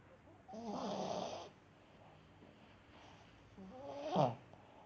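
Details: Sleeping dog snoring: two drawn-out, tonal snores, one near the start lasting about a second and a shorter, rougher one near the end, with a quiet pause between them in a still indoor room.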